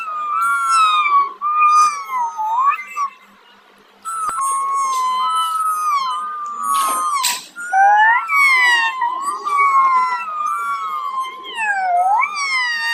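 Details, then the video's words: Kittens making a steady stream of insistent, wavering meows, multiple callers overlapping, a quiet gap around the third to fourth second, then louder rising and falling cries with occasional sharp clicks and bumps. "kittens making noise"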